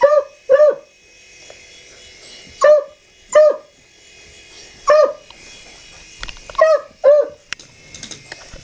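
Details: Barking dog reacting to a helicopter: roughly ten clipped, bright barks in irregular pairs and singles, with some clicks and faint rustling between them late in the stretch and a low steady hum throughout.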